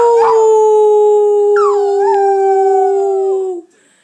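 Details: Eight-week-old puppy howling: one long, steady, tonal howl lasting about three and a half seconds, with a brief higher yelp-like rise partway through, then sudden silence.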